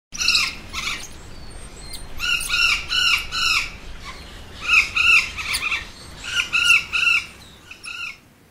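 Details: Cotton-top tamarin, a small critically endangered monkey surviving wild only in Colombia, kept at the Besançon Museum zoo in a breeding programme; a run of short, bright, bird-like chirps and squeaks in bursts, several per second, with pauses between groups.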